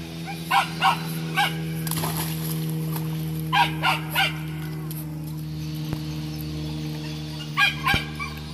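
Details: Thirteen-week-old Parson Russell Terrier puppy yapping in short clusters of two to three high barks, spaced by pauses, over a constant low hum and faint knocks.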